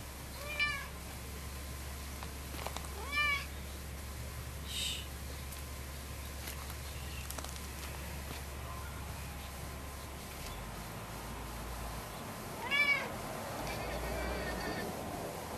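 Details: Lucy, a loud, hyper orange cat that keeps pestering another cat and circling a person's legs indoors, gives three short harmonic meows spread across the stretch, with quiet room noise and a low hum between them.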